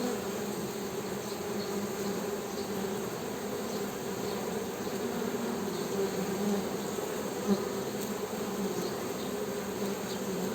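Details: Even, unbroken humming of a honey bee, a low droning buzz with a higher harmonic, holding steady throughout with only one faint tick.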